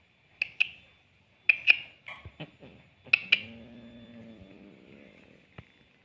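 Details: Cat, one of an orange cat and a pregnant cat together; sharp clicking taps come first, then a low, drawn-out harmonic moan lasting about two seconds, sliding slightly down before fading, in a quiet indoor setting.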